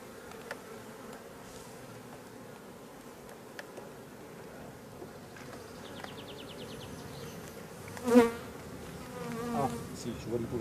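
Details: Drone-laying honey bee colony, its laying workers on frames checked at the apiary; dense, even buzzing hum throughout, with a loud knock near the end and brief chirping rasps from handling the frames.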